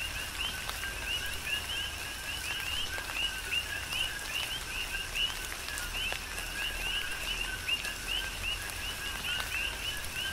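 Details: Chorus of coqui frogs on the Big Island of Hawaii during a tropical rain shower: many overlapping short two-note chirps, a low tone rising to a higher one, repeating densely over steady rain patter and scattered drips.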